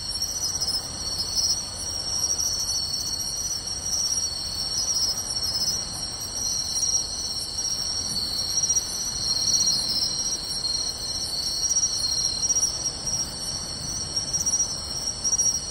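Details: Crickets including pine crickets and bell crickets fill a seaside grassy field on a summer night, Tainai, 24 August 2020; continuous shimmering high trills, stacked tones and regular short chirps over a quiet low background.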